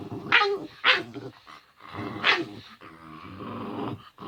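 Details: Playing male house dog, protective of its owner during a week of illness; harsh growls broken by three loud, sharp bark-like bursts, then a longer rumbling growl trailing off.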